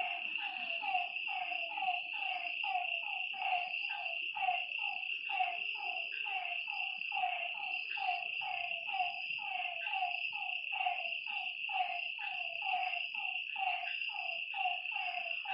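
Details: Frogs at night by a lake keep up a dense, regular chorus of short falling croaks, roughly one every half second from multiple callers, with an unbroken high insect drone behind them.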